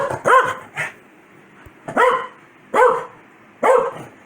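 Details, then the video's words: Angry Corgi, Foxy, scolding her owner for sneezing with four clear, separate barks spaced under a second apart, each falling slightly at the end, in a quiet indoor room. "Corgi Gets Angry Every-time I Sneeze"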